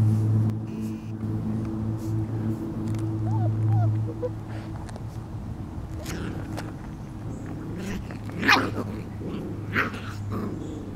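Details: Litter of Lacey's puppies, almost five weeks old, at play; a steady low hum underlies brief squeaks and growly yips, building to a sharp high yelp near the end.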